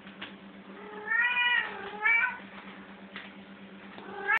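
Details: Cats playing in a room: two short, tonal meows in quick succession, the first bending downward and the second briefly rising, then a third meow beginning at the end. A constant low hum and faint clicks run underneath.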